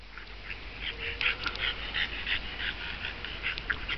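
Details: English Bulldog Mack playing with another dog, Sheba, snorting and grunting in rapid, irregular bursts of rough, nasal snuffles about three per second, mid-pitched and breathy throughout.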